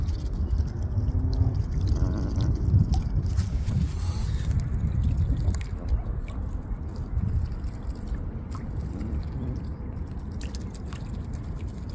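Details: Low water sloshing and gurgling with a faint rumble, like a small boat moving through water, and no animal calls.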